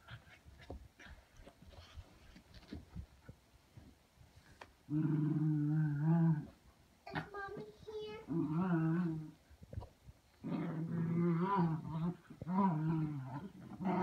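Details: Lakeland Terrier named Lucy Ruby, excited over a rabbit, gives long, drawn-out whining growls in several sustained bursts of a second or more, separated by short quiet gaps with faint scuffling.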